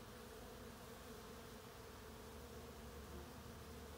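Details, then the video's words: Honey bees in summer blossoms at Mount Auburn Cemetery, Cambridge, Massachusetts, give a steady, low droning buzz that hums on without a break. "Buzzing Bees"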